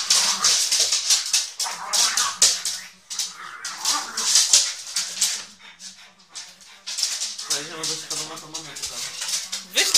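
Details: Two dogs, a Basset Artésien Normand named Kipcio and a pug named Tyrion, playing together: low drawn-out harmonic growls and whines, strongest near the end, under loud continuous rustling and scuffling noise, with some human voices.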